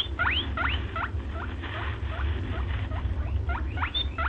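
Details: Quick series of thin, upward-sweeping squeaks from a white rabbit, some louder and higher than others, repeated roughly every third of a second above a constant low-frequency rumble.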